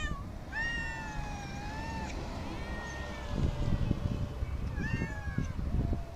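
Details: Street cats, said to be somewhat wild and wary of people: one long drawn-out meow falls slightly in pitch over about a second and a half, then a shorter meow follows after a pause, over steady low rumbling outdoor noise.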